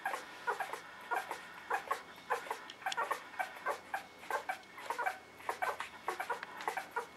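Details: Litter of newborn puppies whimpering together indoors: a steady stream of short, high squeaks and yelps overlapping from several pups, about two per second, with no other clear sounds.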